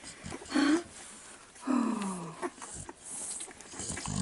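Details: Four-week-old Staffordshire Bull Terrier puppies with their mother, 34th litter, 11 November 2018: two thin whines, the second a longer note sliding downward, over background shuffling and rustling.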